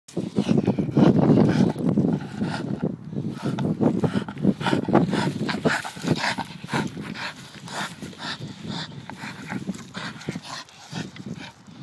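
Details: Pet Staffordshire bull terrier being a pain, giving low rumbling grumbles and growly vocal bursts in rapid irregular succession, loudest in the first half, with snuffling breaths between.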